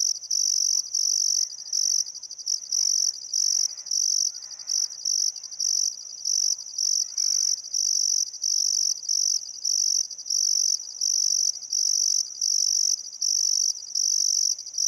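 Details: Crickets at sunset on a still summer afternoon beside the Barcoo River in Welford National Park, Outback Queensland, Australia, a shrill high trill in pulses of about a second with short pauses, and soft birdcalls in the background.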